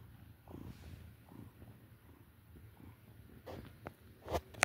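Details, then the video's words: Relaxed, content house cat purring: a soft, low rhythmic rumble pulsing in steady beats, followed by a few sharp rustling clicks near the end. "Purring Bliss: Watch This Cat Relax and Unwind!"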